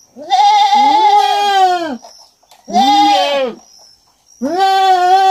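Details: Kid goat on a farm giving three long, loud, quavering bleats, each one to one and a half seconds, separated by short pauses, with a faint high whine behind.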